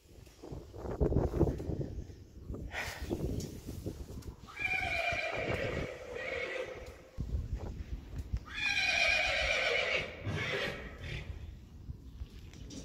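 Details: Friesian horses in a herd, with one loud whinny around the fifth second and another long, quavering neigh near the ninth second, with hoof clip-clop and rustling between calls.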